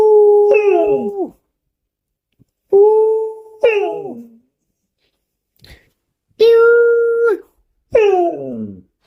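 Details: Domestic dog howls for its daily buttermilk: five drawn-out, clear tonal cries, several ending in falling, wobbling tails, spaced by short silent breaks.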